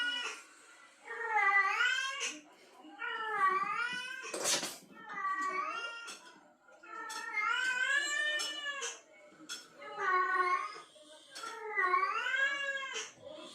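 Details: In heat and hearing a male cat call, a female cat gives repeated long, bending yowls, about six in a row, each one or two seconds long. A short sharp noise breaks in near the middle.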